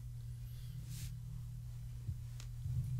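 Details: A quiet indoor room hum with a few soft rustles and clicks is heard, with no animal sounds.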